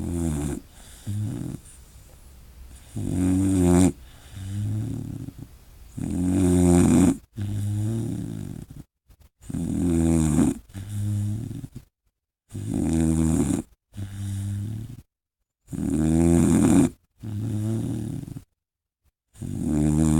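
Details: Great Dane pup named Jonah, asleep indoors, snores loudly: deep, rattling rasps lasting about a second each, coming in uneven runs broken by short silent pauses.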